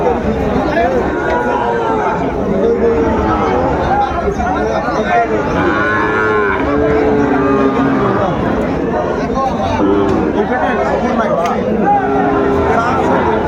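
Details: Sahiwal cattle, young bull calves at a cattle market in Sylhet, Bangladesh, on 15 June 2024; several low drawn-out moos rise over constant crowd chatter and bargaining voices.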